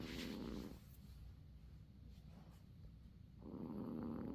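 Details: Uni the cat sleeping and softly snoring: low, breathy rasping snores, a louder drawn-in breath at the start and another near the end, with a quieter steady rumble between.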